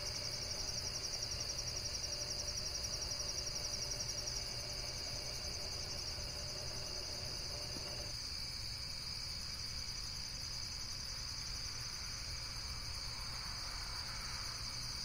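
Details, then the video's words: Insects trill rapidly in a high, pulsed chorus that stops abruptly about halfway through, leaving a fainter high hiss and a low rumble of background noise. "Relaxation Video with Various Nature & Insects Sounds"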